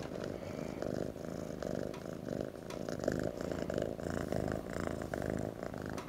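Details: Orange tabby kitten named Jack snuggling and purring: a steady low rumbling purr with pulsing texture, continuous through the whole stretch, with faint soft rustles from movement against bedding.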